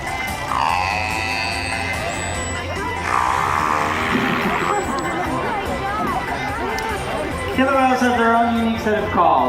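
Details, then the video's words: Captive killer whales (Corky, Shouka, Keet, Ikaika) at SeaWorld San Diego, 14 September 2016, give harmonic, squealing calls that sweep up and down over crowd chatter. Pods have their own dialect of calls. "Killer whales communicate using all sorts of sounds. Let's listen."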